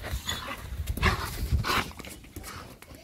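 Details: German Shepherd dog, happy to see its owners on their return, gives a few short low barks and whines, mixed with background household noise.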